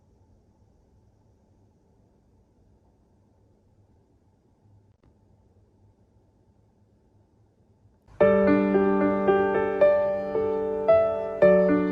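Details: Near-silence with faint low hum for eight seconds, then a piano melody with sustained chords fills the rest of the recording.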